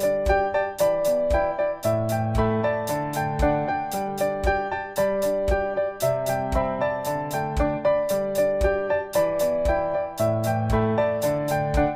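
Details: Bright electric piano music plays in a steady repeating pattern, with no animal voices present.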